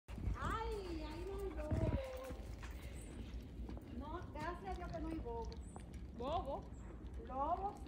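Siberian Husky puppies give short, rising, whiny yelps in quick bursts, with people talking nearby.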